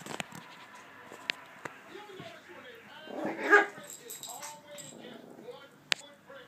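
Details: A dog's first bark, a single brief rough burst midway, set among low speech and a few sharp clicks in a quiet room.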